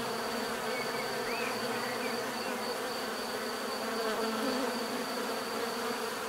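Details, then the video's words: Bees giving a steady, dense hum of many overlapping wingbeats, a continuous drone with faint bird chirps above it. "bees therapy relaxing natural buzzing sound"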